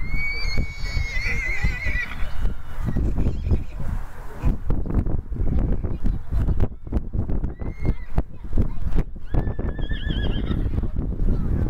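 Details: Cremello Welsh Cob Section D stallion, aged two and homozygous AA, lets out a long quavering whinny across the first two seconds, then shorter whinnies around eight and ten seconds, amid clattering hooves and human voices.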